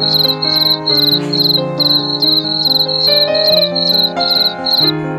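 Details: Steady cricket chirping, bright, high pulses repeating roughly every third of a second, over a gentle musical background with held tones.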